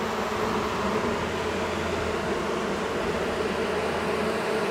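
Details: Steady, dense hum of many honey bees from a long-time wall colony being removed from a house after dark, agitated and buzzing without pause over a low droning background.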